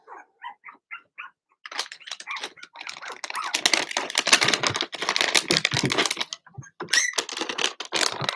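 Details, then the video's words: Blenheim Cavalier King Charles Spaniel puppies from Remy's first litter of six (two girls, four boys) in an indoor puppy pen. A few short high squeaks open, then a dense, noisy stretch of overlapping yaps and scuffling fills the rest. "Cavalier Puppies Bark, Howl, and POOP"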